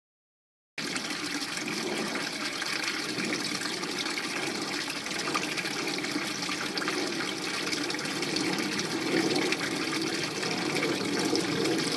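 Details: Steady splashing and trickling of a fountain in a small backyard fishpond surrounded by ivy, a dense broadband rush of water without a break after a brief silent start; no clear frog calls stand out.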